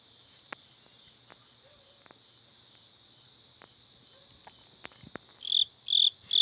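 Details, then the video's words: Crickets in the backyard of a hometown house, heard alongside a toad: a steady, continuous high-pitched trill runs throughout, with scattered clicks and a few louder, brighter chirps near the end. "두꺼비와 귀뚜라미 소리가 들린다."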